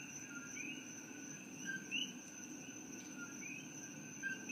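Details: Night chorus of coqui frogs in Hilo, Hawaii, an invasive species there originally from Puerto Rico. Scattered two-part calls, each a brief flat note then an upward-sweeping whistle, over a constant shrill background drone.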